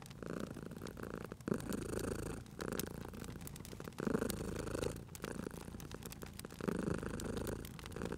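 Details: Cozy domestic cat purring at a fireplace, rough low throbbing phases alternating with quieter pauses about every one to two seconds, while wood fire crackles and snaps sharply.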